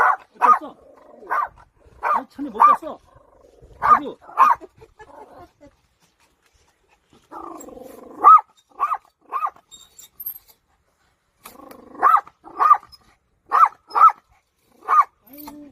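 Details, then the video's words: Dog protecting a child while getting in the way of a grandfather's farming; sharp, loud barks in short runs of two to four, separated by pauses, with a person speaking in between. "강아지가 아이 지키기"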